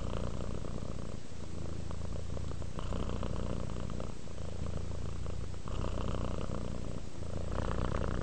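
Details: Close, loud purring from a relaxing domestic cat drifting to sleep, a rough low rumble pulsing with inhale and exhale roughly every one to two seconds, steady throughout.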